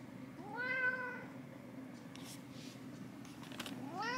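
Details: Pet cat indoors in a Saitama home, Japan, giving a clear, tonal meow of under a second that rises and then levels off. A second meow begins at the very end, with soft clicks and room noise in between.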